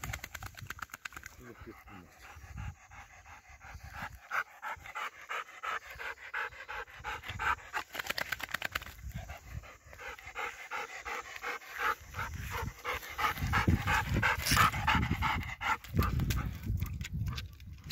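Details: Nine-year-old Golden Retriever Ljubica, a lake swimmer, fetching a wooden stick. Her panting is rapid and steady, about three breathy puffs per second, continuing throughout over a low rumble of wind or handling noise.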